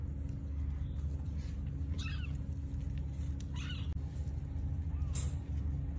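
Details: During a Sphynx cat's delivery of three differently coloured kittens, three faint, short, high arched mews spaced over a few seconds, set against a continuous low mechanical hum.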